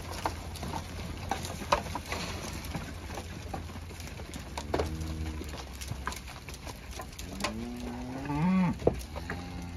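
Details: Charbray cattle lowing: a short, steady, low moo near the middle, then a longer moo that rises and bends upward toward the end, over a constant low rumble and scattered outdoor clicks.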